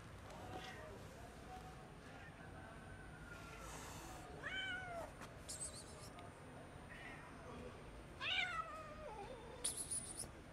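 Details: Agitated, nervous six-month-old male cat abandoned on the street by its owners, giving several drawn-out, wavering meows spaced a few seconds apart, some rising then falling, over faint background hiss.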